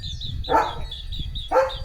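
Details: German Shepherd named Leo at home on Diwali morning, two short loud barks about a second apart, with a steady high electronic chirping tone in the background.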